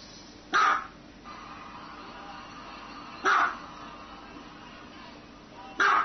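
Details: Dog giving three short, harsh single barks roughly every two and a half seconds, with a quiet hum between them.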